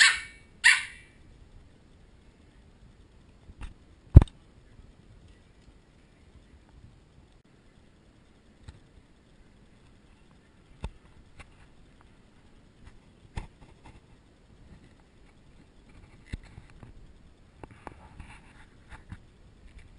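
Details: Ten Pembroke Welsh Corgi puppies resisting bedtime, recorded with a GoPro HD HERO2: two quick, high yappy barks open the stretch, followed by quiet broken by scattered clicks, taps and light scuffling.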